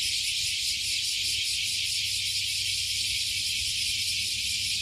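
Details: Cicadas near Fukuoka Bay in Japan, emerged from beneath a 50-year-old tree, all singing at once: a bright, piercing, steady buzz beating in rapid pulses, with a low hum in the background.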